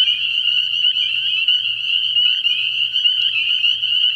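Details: Spring peepers in a night chorus at a frog pond early in the year: many high, piercing peeps overlap into one continuous shrill ringing band with a faint steady low hum beneath.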